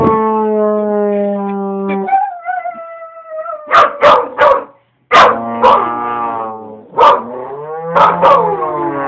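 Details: A young husky/Labrador cross, 10 months old, singing to a trombone: held brass notes give way to a run of short yipping bursts, then wavering, falling howls over the instrument.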